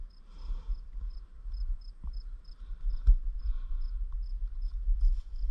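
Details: Crickets chirp in a prairie in Bremer County, Iowa, giving high, thin, short pulses about three times a second, over low wind and handling rumble, with a fainter hum of other insects and a bumblebee nearby.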